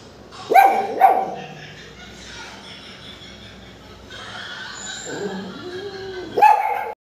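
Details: Pomeranian puppies barking without apparent reason: two sharp high yaps early, a quiet stretch with a soft whine, then one more sharp yap near the end.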